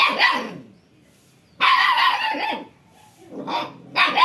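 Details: Village dog in Odisha, India, barking in three loud, harsh bursts, the middle one longest, separated by quiet gaps.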